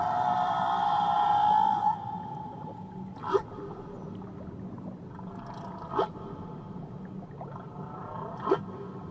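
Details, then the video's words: Whale song off Tahiti: an opening sustained moan fades out, followed by three short sweeping cries spaced about two to three seconds apart against a steady background hum. "Nature Sounds Only Whales & Beaches"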